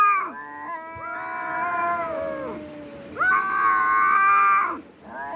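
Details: Fighting cat producing two long harmonic yowls, each swelling and wavering before dropping away, with a short break of near silence between.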